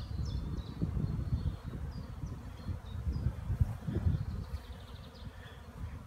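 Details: Hive honey bees flying on a sunny April day after rain, 15 April 2016; dense low buzzing drone with repeated close passes, light bird twitters above.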